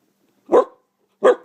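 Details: Pet dog, one of several in a household, barking on command: two short, sharp, loud barks about 0.7 seconds apart, then silence.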